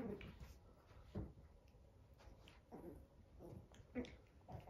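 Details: Nine-week-old Chihuahua puppies play soccer with their father indoors, giving short, breathy whimpers and yips in irregular bursts about once a second, over a low rumbling background and faint scuffling.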